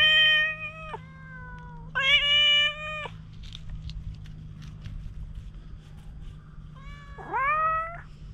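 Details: Highly cautious stray cat, opening up a little while being stroked with a cat brush, captured on a GoPro HERO8. Loud repeated meows: two sustained calls, then a third that swoops upward, with a low background hum throughout.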